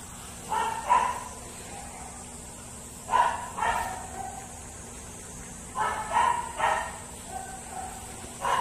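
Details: Livia, a pet dog, meeting a big dog: short sharp barks in pairs and trios, bursts near the start, around three seconds, around six seconds and again at the very end, over a steady background hum.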